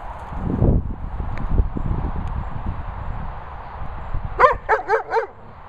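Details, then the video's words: Weimaraner threatening a Labrador over the Labrador's ball, in Worcestershire countryside, England; after low rustling and scuffling, four short harmonic barks or yelps come in quick succession near the end. "Weimaraner Bella Boo threatening Labrador Bernie over HIS ball!"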